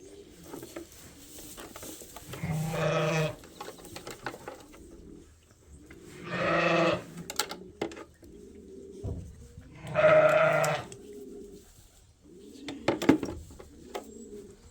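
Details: Sheep at Ewetopia Farms during daily chores as twin lambs are ear-tagged: three loud, harmonic, wavering bleats about four seconds apart, with quieter low murmuring and rustling between them.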